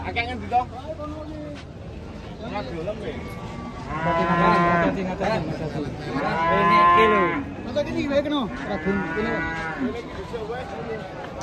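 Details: Big, heavy cattle in a herd lowing loudly: three strong, rich moos, each lasting about a second or more with full harmonics, separated by short gaps, over faint background noise.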